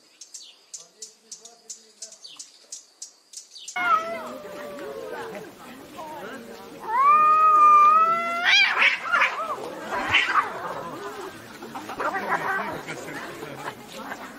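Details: Domestic cats in a brutal fight: after a few seconds of quiet ticking, loud drawn-out yowls and caterwauls break out, wavering and rising in pitch, with harsh hissing bursts between them.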